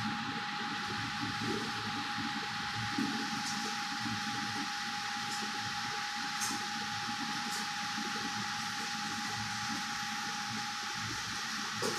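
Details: A steady broadband hiss with a constant mid-pitched electrical tone and faint clicks runs throughout, with no animal call.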